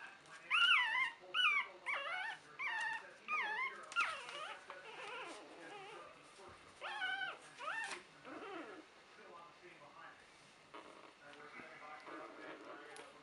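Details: A litter of three-week-old puppies belonging to Buttercup gives a run of loud, wavering whimpers and yelps, about one every second at first, fading to quieter whines later.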